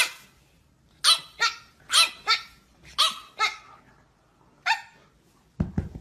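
A pug gives a series of sharp, high barks in pairs, followed by a single bark.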